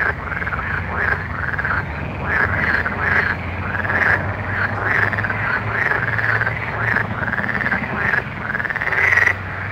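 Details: Frogs at night in full chorus: quick, looping croaks repeated continuously and overlapping, backed by a low steady hum.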